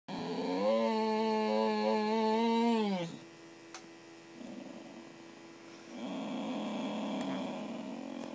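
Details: Boxer dog named Missy, a female pet indoors, grumbling back at her owner as if arguing: a long drawn-out tonal moan-growl for about two and a half seconds, then quieter grumbles with a steady electrical hum behind.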